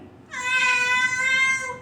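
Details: Dubai native cat letting out a long, drawn-out meow of about a second and a half, bright and level in pitch, trailing off slightly at the close.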